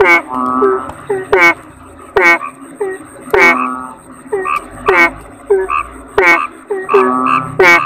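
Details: Kodok bangkong toad croaking busily: dense run of nasal, harmonic notes and sharp barks, occasional longer level tones, and a faint continuous high whine beneath.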